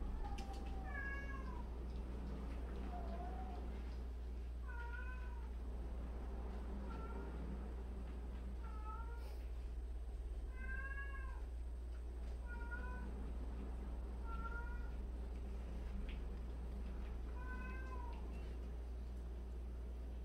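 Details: Cat from a household of 76 rescued and street cats, meowing indoors: a series of short, rising-then-falling meows, roughly one every one to two seconds, over a steady low hum.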